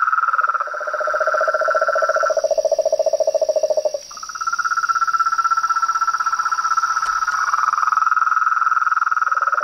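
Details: Frogs calling in nature: a loud, fast pulsing trill at mid pitch gives way to a lower buzzing trill, then after a brief dip a steady higher trill resumes and runs to the end, over a constant high insect whine.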